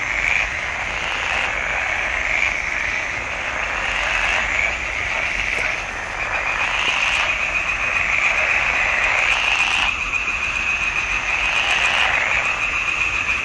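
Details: Swamp pond in June 2021 with frogs in full chorus, filmed with a Nikon D780: an unbroken wall of harsh, buzzing croaks. The intensity wavers slightly, with brief clicks and crackles scattered through.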